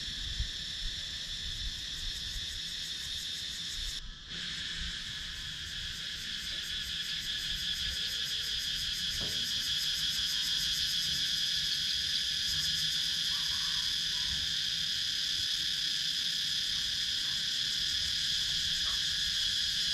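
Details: Cicadas in wooded countryside of Sakon Nakhon, Thailand, captured on a GoPro Hero 9: a steady, shrill, high-pitched drone in several layered bands with a fast pulsing shimmer on top, briefly cut near four seconds, then swelling slightly louder.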